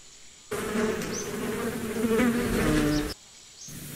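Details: Bees buzzing steadily for about two and a half seconds, a droning hum with a low fundamental and stacked harmonics, rising slightly in pitch mid-way; brief faint high bird chirps in the background.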